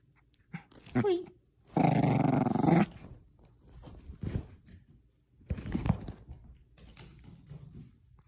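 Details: Bichon Frise indoors tugging at a little stuffed squirrel toy: brief throaty growls, then one sustained deep rumbling growl lasting about a second, followed by softer choppy grumbles and a faint human voice.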